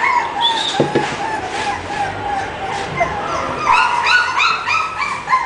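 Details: Whining and yipping English bulldog, a run of thin squeaky cries and short yelps, busier toward the end, with a human voice faintly mixed in.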